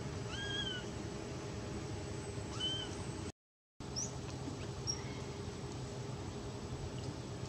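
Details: Domestic cat described as scared and begging for milk: two thin, high mews rising then falling, around half a second and two and a half seconds, then fainter mews near four and five seconds over a steady low hum and a brief dropout.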